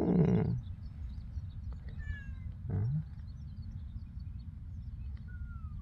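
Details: Domestic cat, said to have been overprotected and to have stopped growing for three years, gives a short loud low meow at the start and a second brief meow near three seconds, with faint thin bird whistles over a steady background hum.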